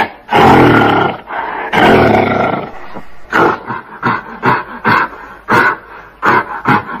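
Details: Gorilla letting out two long, heavy roars, then a quicker series of short, grunting barks that fade slightly toward the end.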